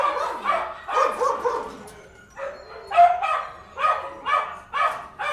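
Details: Dogs barking inside a kennel: loud, harsh barks from several animals that overlap in bursts, with short pauses between volleys and a brief quieter gap near the middle.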